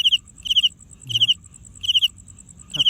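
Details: Cricket sounding by rubbing its wings together. It gives high, bright chirps of about four quick pulses, repeated roughly every 0.8 seconds, over a faster, fainter ticking in the background.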